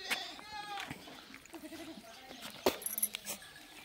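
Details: Goat under treatment for a fungal infection gives a short harmonic bleat, then a quieter quavering one a second later, with clicks and handling sounds between.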